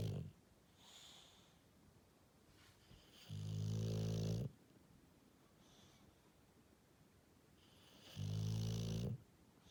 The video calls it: Snoring English Bulldog